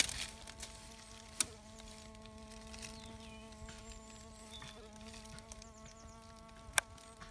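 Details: Bee fly (Bombylius major) probing sand, giving a steady low droning hum with even harmonic overtones throughout, broken by two sharp clicks; faint birdsong in the background.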